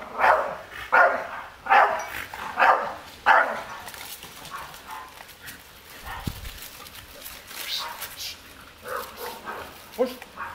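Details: Staffordshire Bull Terrier defending its garden area against an unmasked stranger nearby; five loud gruff barks open the recording in quick succession, then a quieter stretch with voices and a few softer barks near the end.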